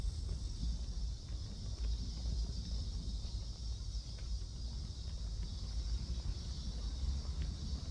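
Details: Midsummer cicadas at Seoul Innovation Park, 11 July near 11 am: a continuous shrill buzzing band holds level throughout, partly masked by loud low wind and vehicle rumble.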